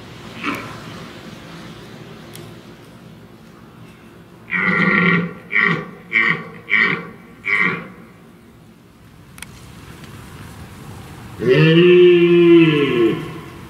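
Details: Red deer stag roaring during the rut as a large group of hinds and several stags cross a stream into woodland: a run of five deep, pulsed groaning bursts about every half second, a pause, then one long drawn-out roar.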